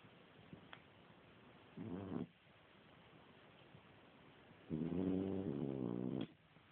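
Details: A sleeping French Bulldog snores in two long, rough, rattling breaths with a quiet pause between them while someone tries to wake it.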